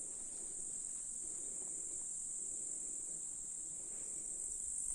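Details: High, even shimmering buzz of grasshoppers in July in a Russian countryside meadow, steady throughout, with soft low background murmur.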